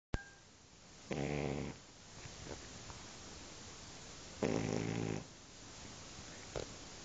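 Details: Sleeping Shar Pei dog snoring indoors: two rough, buzzy snores about three seconds apart, each roughly half a second long, with a faint quieter breath between them.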